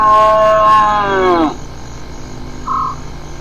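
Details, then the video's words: Hyena call sliding steadily downward in pitch over about one and a half seconds, full of stacked overtones, trailing off into a low note; a brief flat tonal peep follows after a short pause. "Hyenas some vocalizations"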